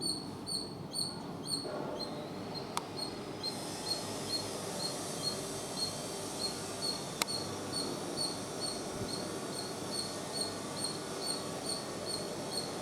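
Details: A squirrel chatters with a regular string of short, high, squeaky chips over a steady broad hiss, broken by a couple of sharp clicks.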